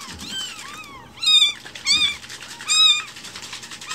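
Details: Foster kittens one week old, newly rescued and still with umbilical cord, kept indoors. Three loud, arched meows sound at uneven gaps, after softer, drawn-out cries at the start.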